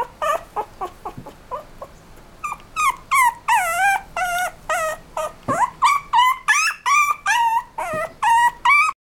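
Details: Small apricot toy poodle and miniature dachshund cross puppy whimpering, starting with soft short yips then breaking into loud, wavering, drawn-out whines and rising yelps repeated almost three times a second.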